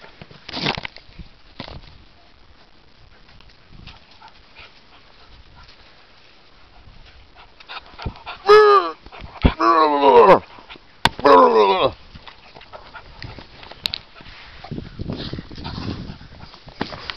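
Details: Four-month-old beagle puppy giving three drawn-out, wavering, tonal howls in quick succession midway through, each with a rich quavering harmonic texture, set between quieter stretches of faint rustling and low background noise.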